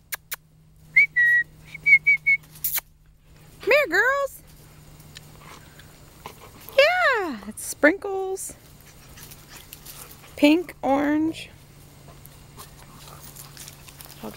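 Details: Female Airedale terrier puppies almost six weeks old from Beth and Thor's litter give a few high arched whimpers and drawn-out falling whines, after short whistled notes at the start, over a steady low hum.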